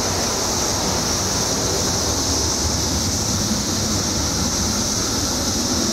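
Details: Emerging after 17 years underground, periodical cicadas in Illinois keep up a continuous high-pitched hiss. Heavy low rumbling noise, like passing traffic, partly masks the mass chorus.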